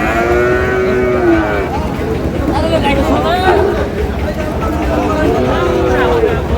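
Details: Sahiwal breed bull calves at the Ambari cattle market in Dinajpur, Bangladesh, on 12 June as trading begins; several drawn-out, tonal moos rise and fall against a steady hum of crowd chatter and market noise.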